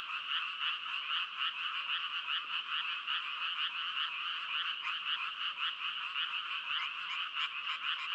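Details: A loud frog chorus of quick repeated croaks that blend into a throbbing, shimmering buzz, with a few sharper individual calls standing out near the end.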